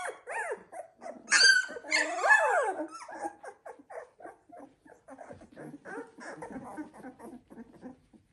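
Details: Sixteen-day-old Labrador Retriever puppies of the Z2 litter: two loud squealing whines early on, then a long run of soft, rapid little whimpers and grunts.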